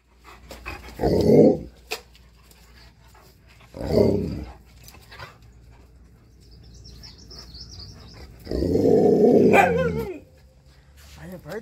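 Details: Husky and Malamute dogs, one named Tonka, wrestling and tussling during morning play; three loud, rough growling bursts, low and throaty, spaced a few seconds apart, with quiet gaps between.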